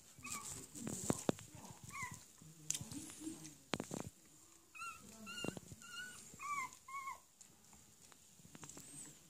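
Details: Beagle mother with her eight-day-old puppies; faint, high squeaky whimpers come in short rising and falling bursts, several clustered together, over soft rustling and a few dull thumps.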